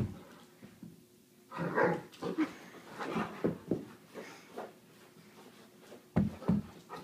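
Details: Great Dane rolling on a carpet indoors, making low rumbling growls and whimpering grunts in uneven bursts, with rustling and thumps from its movement in a small room.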